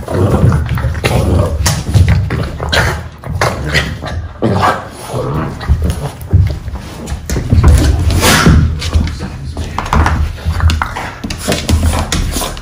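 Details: Two Boston Terriers play fighting, 'bitey face' style, indoors by a rug: continuous low, rumbling growls with snorts and scuffling, rising and falling in bursts, over faint background music.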